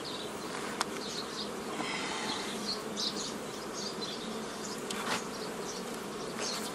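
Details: Honey bees buzzing as a beekeeper forms nucleus colonies the old way from a previously formed forager swarm, 15 May 2018: a dense, steady hum with scattered sharp clicks and knocks from hive handling.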